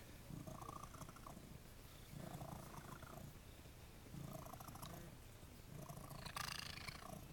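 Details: Jesse James, a cat at The Cat House on the Kings who loves attention, purring in low rumbling bursts that swell and fade about every two seconds, with a brief brighter noise near the end.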